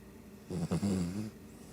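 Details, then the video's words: One brief, throaty snore from a sleeping Shih Tzu, lasting under a second, with a stuttering start that settles into a low rumble. "Shih Tzu snoring"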